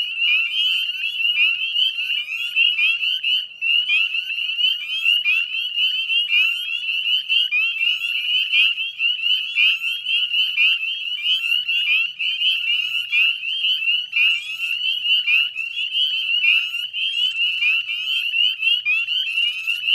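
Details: Wetland edge at dusk, 18 May, West Chezzetcook, Nova Scotia: a huge chorus of northern spring peepers, piercing upward-slurred peeps layered into an unbroken high ringing drone, with faint low background hum.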